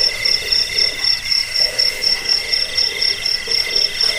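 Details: Jangkik (cricket) sound for rat repelling and lulling to sleep: bright, buzzy pulses high in pitch, repeated about four times a second in an even beat, with softer overlapping insects behind.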